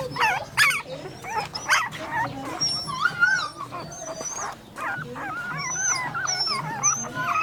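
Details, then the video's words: Dog barking in a place with several animals, puppies among them. About three short, sharp, broadband barks come roughly a second apart, over chirping birds and voices in the background. "Dogs and beautiful puppy, real puppy's sound effect"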